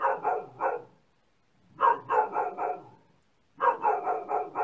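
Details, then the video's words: Dog barking in three tight bursts of three to five harsh barks each, with roughly a second of silence separating each burst. "Dog Barking Sound"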